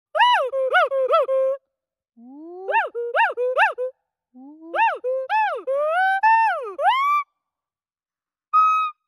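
An agile gibbon gives clear, hooting whoops that swoop upward in pitch, repeated in quick bursts.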